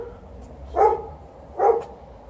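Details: Pet dog TJ barks in complaint, eager to fetch, while poplar fluff drifts from trees across the road; two short, punchy yelps come about 0.8 seconds apart over a low background hum.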